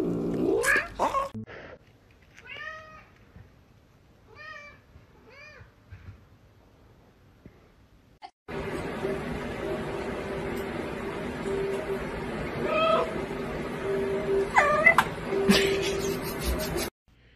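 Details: Domestic cat from a funny-cat compilation giving a few short, arched meows spaced about a second apart, followed by a stretch of loud, broadband background noise with music and brief higher calls near the end.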